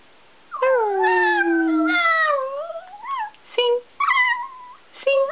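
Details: Chihuahua dressed in a costume, indoors, giving drawn-out whining howls that slide downward, then rise and waver, followed by shorter broken whimpers in quick succession, with no other clear sounds.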